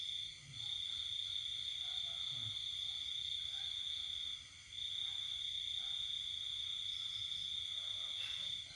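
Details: A cricket trilling through a quiet countryside night during the pandemic: a sustained, shrill, even tone with a single brief break midway and faint low sounds beneath.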